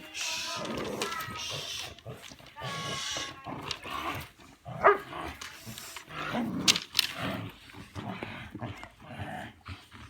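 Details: Belgian Malinois named Bullet doing bite work in a back yard: harsh, noisy barks and growling bursts come at irregular intervals, with sharper single barks later on, while people talk in the background.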